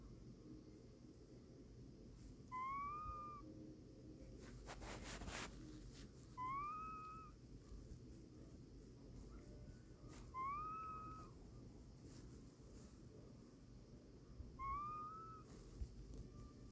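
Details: Casey, a cat asleep, lets out soft meow-like squeaks that rise and then dip. Four come at roughly four-second intervals over a steady low household hum.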